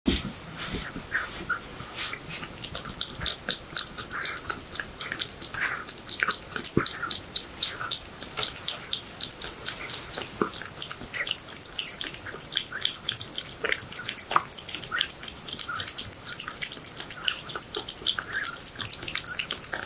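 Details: Domestic cat eating horse meat indoors, recorded close up; dense wet chewing, smacking and crunching clicks, rapid and continuous throughout.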